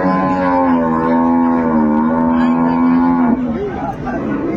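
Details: Lowing from improved-breed dairy cows and calves at the Ambari cattle market in Dinajpur, 10 February 2025: one long, steady, hoarse moo of about three seconds that drops at the end, with market chatter and background music underneath.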